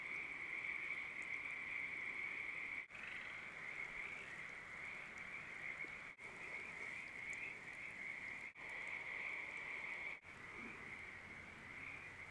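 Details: Spring chorus of Pacific tree frogs giving mating calls at a ranch pond in southwestern Oregon: a thick, continuous wall of rapid croaking trills, briefly cut by short gaps, with soft water-like background hiss.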